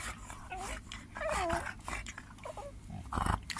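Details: Pet dogs playing on a bed at bedtime, one giving short rising and falling whines and yelps with brief growly sounds, while a man tells them to stop playing and sleep.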